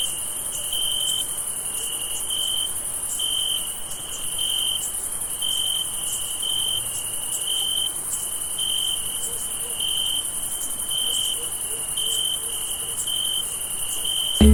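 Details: Crickets chirp steadily on a summer night in clipped, high pulses about twice a second.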